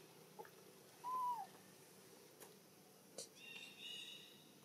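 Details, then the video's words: A baby macaque in Siem Reap Province, Cambodia, cries out for its mother's help while another monkey plays roughly with it: one loud, clear, arching tonal cry about half a second long, with faint clicks and rustling around it. "Poor baby monkey Anissa crying loudest call mum Anna help"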